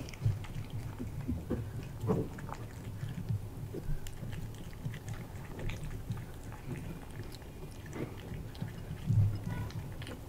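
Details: Indoors, a British Shorthair cat chews freeze-dried chicken breast from a glass bowl; soft, moist chewing broken by a few crisp crunching bites spaced several seconds apart.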